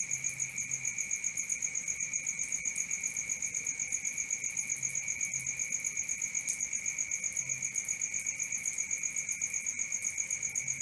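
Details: Crickets at night: a steady high-pitched pulsed trill with two bright tones, one high and one very high, throbbing about four times a second throughout, with no other sounds.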